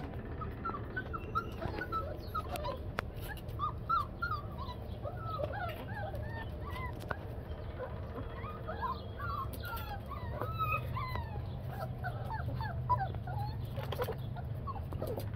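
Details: Labrador Retriever Blazer at play with pups just four weeks old: many short, high squeaky whines and yips, often rising or falling, repeat irregularly throughout over a constant low hum.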